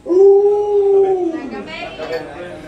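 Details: Luoluo, a pet Alaskan Malamute, gives a held howl that slowly falls and trails off, with human speech taking over in the second half.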